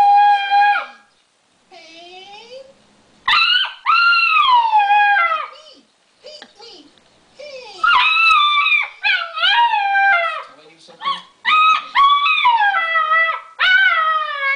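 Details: Alaskan Malamute puppy about eight weeks old, indoors, vocalising in response to a creaking door on a TV commercial: drawn-out, wavering howl-like yowls with rich harmonics, rising and falling, in bursts with short pauses.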